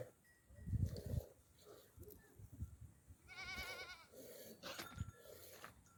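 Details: At the Aapak water spring at noon, where goat herds, sheep flocks, cattle and donkeys with neck bells come to drink: one wavering, tremulous bleat mid-clip amid low thuds, rustling and faint chatter.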